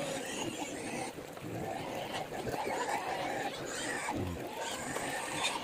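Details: Native pigs kept on a small backyard pig farm, fed in the morning, give rough, harsh grunts and squeals over a broad, hissing wash of movement, with a faint human voice at times.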